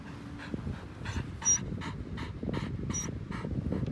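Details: Elderly white Samoyed on a lawn panting in quick, even breathy puffs, roughly three per second, over soft low rustling.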